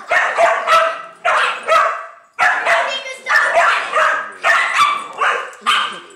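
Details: Angry female Dachshund guarding her nest against a playful neighbour's dog: rapid, raspy yapping barks in short bursts, roughly one burst per second, with a regular rhythm and brief silences between, and faint voices behind.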